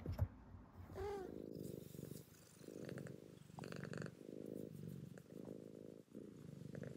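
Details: Contented pet cat indoors purring: a low, steady rumbling purr in rhythmic pulses, with a brief short meow early on and a soft voice speaking to it.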